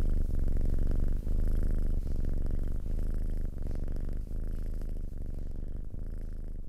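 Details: Close, continuous cat purr with a low, vibrating drone and faint breath breaks roughly every second, steady and even throughout.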